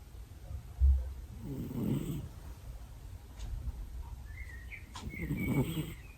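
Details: A male cat asleep and snoring near someone's ears: slow, low, breathy rasps rising and fading roughly every three and a half seconds, with a brief bump, faint chirps and otherwise quiet room tone.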